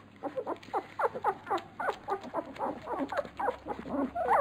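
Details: Feeding Labrador Retriever puppies, called piranha pups, produce rapid, uneven bursts of little grunts and squeaky whimpers, about four per second, rising into sharper tonal squeals toward the close.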